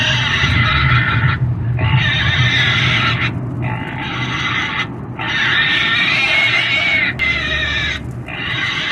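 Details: Pig squeals and screams: long, strained, high-pitched cries that overlap and run on for several seconds, separated by brief pauses, with a constant low hum underneath.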